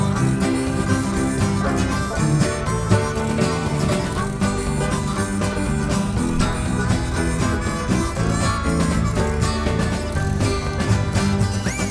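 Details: Lively bluegrass music with banjo and guitar playing continuously and no animal calls.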